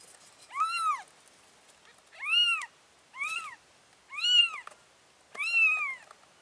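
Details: Mama cat moving her four baby kittens to a new place; five drawn-out, rising-then-falling meows spaced about a second and a half apart, over faint background hiss.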